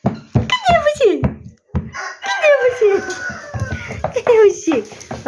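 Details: Screwworm-infested puppies, rescued for a friend, cry in a series of loud, drawn-out whines that each start high and fall steeply in pitch, coming roughly every second, with rustling and handling noises underneath.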